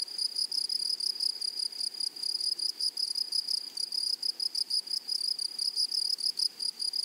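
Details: Flowery meadow grasshoppers keep up a piercing, high-pitched pulsed trill, short buzzy bursts repeating several times a second with little variation, and no other clear sounds.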